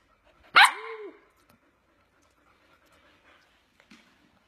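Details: Single sharp yelping bark from a Samoyed puppy, loud and harmonic with a brief curved tonal tail, followed by near silence with faint rustles.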